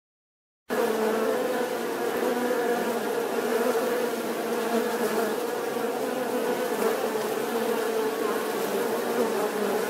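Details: Bee buzzing steadily after a short silent start, a dense continuous drone with a strong low hum band and rich overtones, no other sounds.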